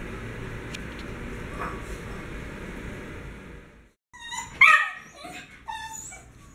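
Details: Pet dogs Whisky, Shadow and Homer, excited before mealtime over their daily kibble. After about four seconds of steady hiss, high whining whimpers and short yips break out, with a sharp peak near the middle.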